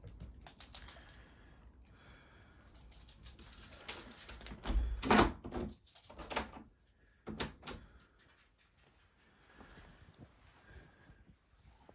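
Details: Indoor play with thumps, clicks, knocks and rustling, but no animal voice.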